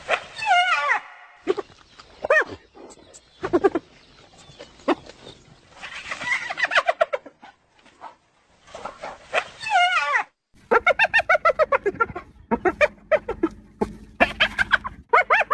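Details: Spotted hyena calls, used to keep in touch with the group over long distances: strained, rising and falling cries, then quick runs of high, giggling, laugh-like notes.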